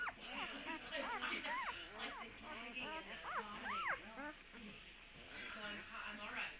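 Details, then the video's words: Puppy sounds recorded on Tuesday, March 17: a steady stream of high, overlapping whimpers and whines, many arching up then down, packed closely for several seconds over a faint hiss. "Puppy sounds"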